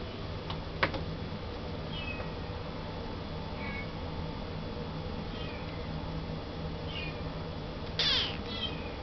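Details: Young male Russian Blue cat at a Yokosuka pet shop in Kanagawa, born January 2012, mews thinly a few times against constant low droning background noise, with a couple of sharp clicks and a brief louder rustle near the end.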